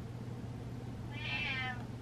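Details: Pet cat reacting to its owner's dancing with one loud, smooth meow, rising then easing downward, heard over a steady low-pitched room hum.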